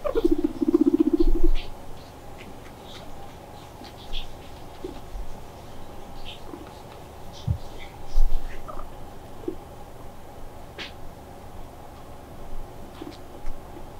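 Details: Pet guinea pig Mop, who loves being stroked and comes over to be petted, gives a low buzzy rumble lasting about a second and a half at the start, followed by quiet indoor rustling and soft scattered clicks.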